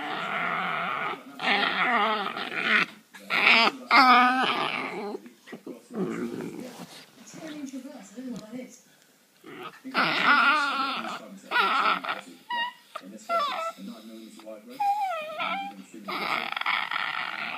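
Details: Border terrier singing indoors in a small room: long, wavering, harmonic howls that slide up and down in pitch, delivered in drawn-out phrases broken by brief pauses, with quieter human voices in the gaps.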